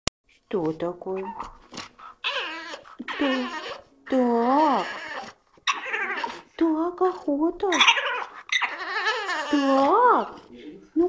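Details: French bulldog puppy, three months old, called a talking puppy, indoors; a string of whiny, yodelling moans that swoop up and down in pitch, broken by short pauses, in a small room.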